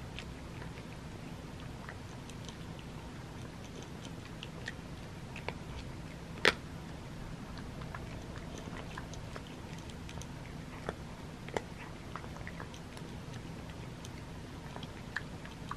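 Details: Butters the male cat munching dry crunchies in a small room, irregular faint crackling bites spread throughout, one louder crunch partway in, soft steady background hum.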